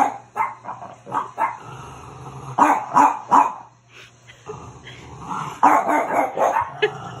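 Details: French Bulldog seeing his own reflection for the first time and barking at it: repeated short, gruff barks in irregular runs, some doubled, separated by brief pauses and low growly breaths.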